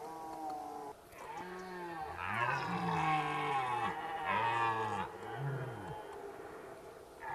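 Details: Red deer roaring during the rut at Zvārde: repeated arched, bellowing calls with rich harmonics, each rising then falling over about half a second, several in quick succession, over a steady background hiss.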